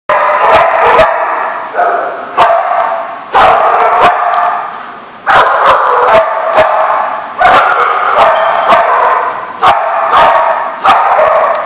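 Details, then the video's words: Dogs barking on 22 September 2014, a dense, overlapping chorus of sharp, harsh barks that repeat rapidly with almost no gaps. Short pauses fall around two, five and seven seconds before the barking resumes at full strength. "The Barking Lot"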